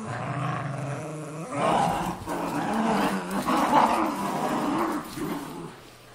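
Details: Two terriers, a Cairn and a Jack Russell, tussling over an old golf glove; steady, low, rumbling growls with several louder surges run the whole way through.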